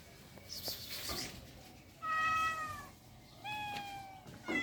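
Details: Cats in rural life: two clear sustained meows, the first steady and slightly descending, the second softer and flatter, over a noisy background with a brief scratchy sound at the start.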